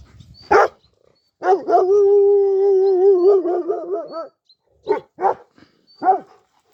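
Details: Kangal pups being called back, a sharp yelp, then a long steady howling tone that wavers and breaks into short yelps, followed by three brief barks near the end.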